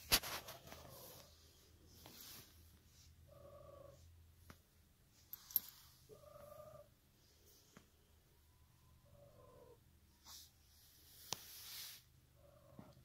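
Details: Pet cat Emerald purring softly, the low throb strongest in the opening seconds then fading in and out, with brief mid-pitched tonal sounds recurring every few seconds and sharp clicks and rustles.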